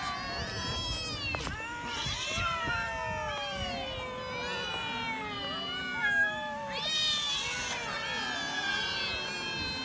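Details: Cats eating raw fish while a chorus of drawn-out, sliding meows overlaps continuously, several voices at once, with pitch bending up and down throughout.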